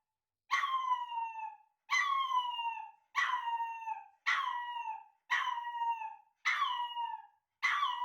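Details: Male Chihuahua puppy, a timid dog, howling indoors as it hears its own recorded voice played back: seven drawn-out, falling, harmonic-rich wails, each about a second long, repeated roughly every 1.2 seconds, with quiet gaps between.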